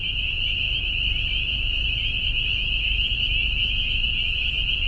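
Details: A dense chorus of many spring peepers by a hillside, the first heard that year, gives high, piercing peeps that merge into a loud, continuous shrill ringing.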